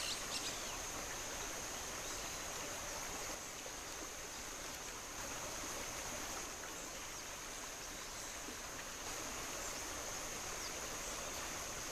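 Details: Steady rushing of running water fills the recording, with a faint continuous high hiss but no clear animal call.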